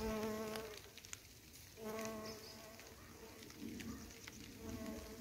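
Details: Bumblebees, around 40 foraging every day for the last couple of weeks on a patch of wild flowers grown from a supermarket box; a steady, low hum rich in overtones swells in and fades out in passes, with short quiet gaps between.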